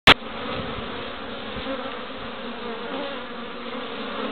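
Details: Western honey bees busy at their hive entrance in Pembrokeshire, west Wales, on 11 March, carrying orange, yellow and white pollen; a steady, dense buzzing hum of many wingbeats, after a brief sharp click at the start.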